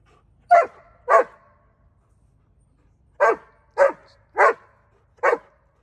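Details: An excitable Dobermann on a farm gives loud, deep barks: a quick pair, a pause, then four more in a row.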